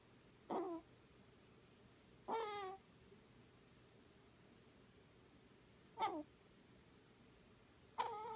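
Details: A sleeping Scottish Fold named Miss Sophie gives four squeaky snoring sounds, each a quick falling whine with bright overtones, arriving at uneven gaps of two to four seconds against quiet indoor hush.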